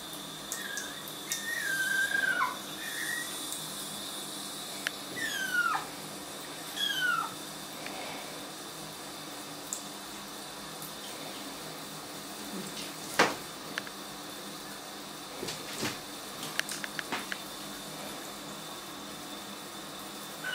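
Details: Kittens in their first week at a new home, placed in a bathtub they dislike, give a few thin, high meows that slide downward, spaced apart among soft splashes and clicks in a small echoing room.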